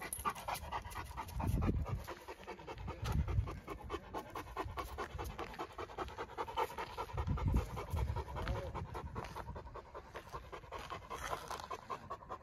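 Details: Heavy panting from a Great Dane in training, a steady run of fast breaths with deeper low thumps and rustling underneath at a few points.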